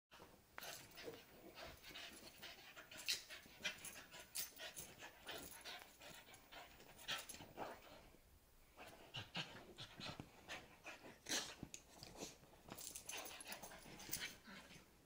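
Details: Australian Cattle Dog and Beagle mix panting after a bath indoors: quick, breathy, hissing puffs in uneven bursts throughout, with brief louder rasps and short quiet gaps, no barking.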